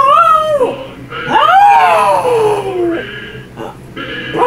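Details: Pet dog howling when a song plays: a falling howl, then a long rising-and-sliding howl, with music in the background.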